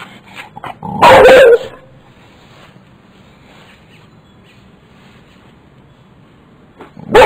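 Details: One-year-old boxer dog in a yard encountering a caterpillar; a loud harsh bark burst near the start, a quiet stretch with faint background noise, then another sharp bark at the end.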